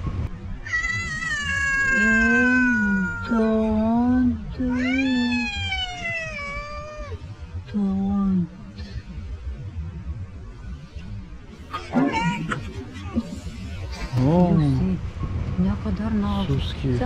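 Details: Stray cat perched on a car in Istanbul, begging for food and love, makes a run of loud meows. Some are long and falling, others rise and then fall, with short chirpy trills between them. A person speaks over the later calls.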